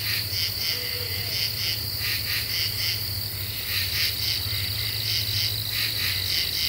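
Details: Common true katydids singing at night in an Eastern U.S. deciduous forest, July 2013: overlapping raspy pulse clusters of two or three beats, repeating rapidly, above a steady high insect buzz and a low hum.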